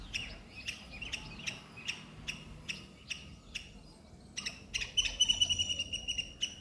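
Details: Squirrel by a neem tree squeaking in short, high chips spaced about half a second apart. The calls grow louder and quicker toward the end, where a thin whistled tone overlaps them.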